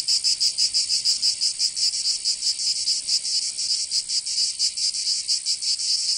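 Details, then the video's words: Cicadas singing in summer in Provence, southern France: a dense, high, rasping buzz that throbs in quick, slightly uneven pulses several times a second, with no other sounds. "Canto Cigarra"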